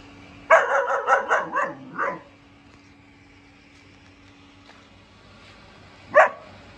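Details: German shepherd puppy, four months old, giving a quick run of about six sharp, high barks over under two seconds, then quiet, and one more lone bark near the end.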